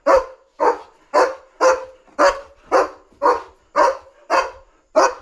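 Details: Excited German Shepherd on night alert against a dog outside, barking nonstop to guard its territory: ten loud, harsh barks in a steady rhythm, about two per second.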